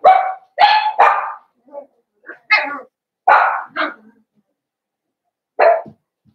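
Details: Blenheim Cavalier King Charles Spaniel puppies, part of a litter of five born on New Year's, in their indoor puppy pen. Sharp, high barks and yips come in quick bursts, with several close together early on, then a lone yap after a pause.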